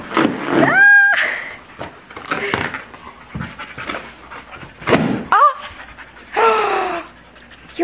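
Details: Siberian husky Ariel and American bulldog Bella playing indoors with a balloon, which they eventually pop; quick breathy panting bursts mixed with a few high whine-like sounds and a woman speaking.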